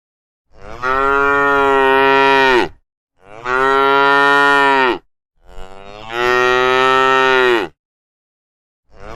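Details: A herd of cows returning to the pen in the evening gives long, loud, drawn-out moos, one after another with short pauses between.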